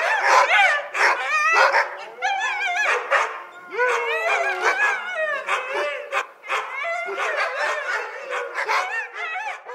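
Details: Several African wild dogs with an impala head twitter together in high, squeaky, chirping calls that rise and fall rapidly, with overlapping whines and yelps in quick bursts forming a continuous, excited chorus.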